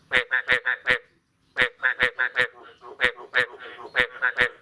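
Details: Croaking frogs on the morning of 9 May 2022 following the year's first rain: groups of hoarse, honk-like notes, a short silence near the first second, then denser overlapping croaks.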